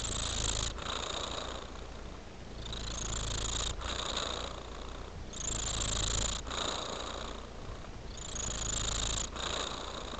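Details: Pet cat with a deep, even purr that rises and falls with each breath, roughly every two seconds, and a soft breathy hiss layered over the rumble.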